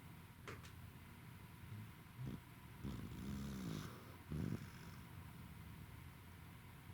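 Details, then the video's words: Roku, a tired Welsh Corgi dog, snoring indoors on 28 November 2021: a few low, rough breaths, one drawn-out humming snore of nearly a second in the middle, then a short final grunt over a steady low background hum. "Roku snores イビキをかくお疲れなロクさん"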